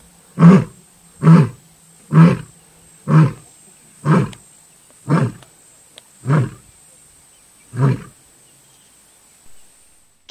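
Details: A lioness in Africa gives a series of deep, grunting roars, about one per second, gradually fading.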